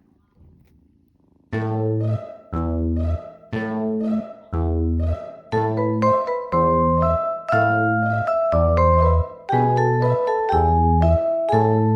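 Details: Plucked bass and bowed strings play a steady, bouncing melody with mallet-like bright notes, and no animal voice is heard.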